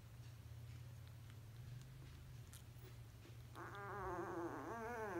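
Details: Sleeping, dreaming basset hound puppy letting out a drawn-out wavering whine that rises and falls for over a second, after quiet breathing against a constant low hum.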